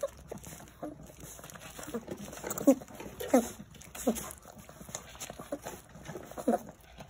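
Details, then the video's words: Jindo puppies jostle at feeding time, competing for food; short high squeals and whimpers rising and falling, about four clear ones across the span, over a background of clicking, shuffling eating noises. "진돗개 꼬물이들 치열한 밥먹기 쟁탈전"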